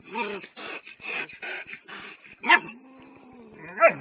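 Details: Dogs barking at a cat, heard as a string of rough yelping calls followed by a long whine and a final sharp bark.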